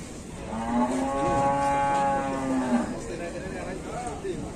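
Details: Enraged cattle: one sustained low moo stretching over two seconds, steady then fading, with faint background noise afterwards.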